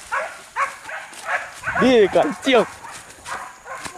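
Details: Hunting dogs chasing wild boar in a forest bay in rising and falling, yelping howls, with short barks before and after; hunting dog.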